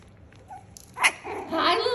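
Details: Six-week-old Schnauzer puppies playing with a new toy: a short sharp yelp followed by a higher, wavering whine with layered tones, amid light indoor noise with a person talking nearby.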